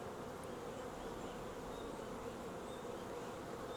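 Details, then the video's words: Many honey bees from a wild swarm collected into a nuc box produce a constant, even buzzing hum, with faint high chirps scattered above the drone. "Swarm Caught!"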